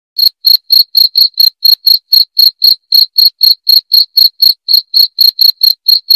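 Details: Cricket chirping, offered as a sound to drive away rats: loud, clear, high-pitched pulses repeated steadily about four times a second, with a faint higher overtone and no other sounds.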